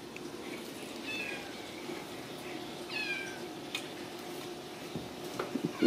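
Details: Ragdoll kittens born and raised indoors at a central Kansas cattery, uttering two or three thin, high, bending mews about a second apart over a quiet room hum, with light knocks and a person speaking afterwards.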